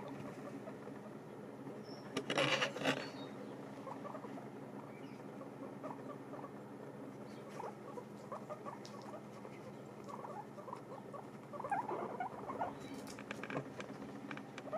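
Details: Several guinea pigs eating dried apples chew steadily, making a busy patter of crisp, dry crunches and gnawing clicks, with occasional louder bursts of rustling and crackling over constant soft munching.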